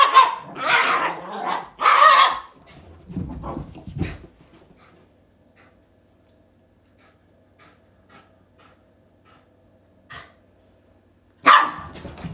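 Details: Domestic Shiba Inu barking twice in strong bursts, then low grumbling sounds, a long quiet stretch with faint clicks, and one more loud bark at the end.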